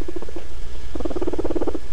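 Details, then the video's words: A curious guinea pig makes soft, rapid, low chuttering notes in quick bursts, the sound it makes when exploring a new place or investigating something. "guinea pigs are very curious and when they're exploring a place that seems new to them or they're investigating something this is the sound they make"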